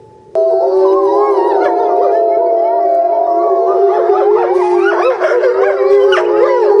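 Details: Captive Eastern timber wolf family at a Japanese zoo, February, howling as a group while a female is separated for breeding season; a sudden start into sustained steady howls layered with rising and falling wavering voices.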